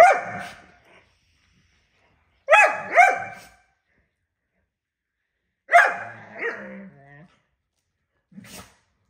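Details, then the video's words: Borzoi dog during a fight: four harsh, snarling bark bursts, each under a second long, arriving about every three seconds in an otherwise quiet indoor space. "Borzoi dog anger teef fighting"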